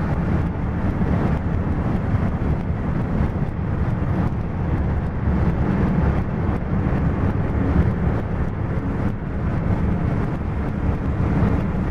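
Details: Continuous road and engine roar from a moving car fills the recording, with no barking or other animal sound.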